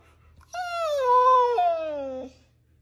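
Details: A dog gives one drawn-out, clear, tonal whine lasting nearly two seconds. It slides slowly downward in pitch, with a small break near the end. The room is otherwise quiet, and a person talks just before and after.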